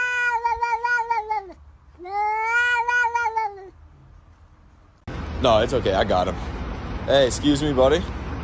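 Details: Two long, falling meows from a pet cat, each over a second in length with a brief gap between, followed after a lull by louder noisy sounds that could be voices.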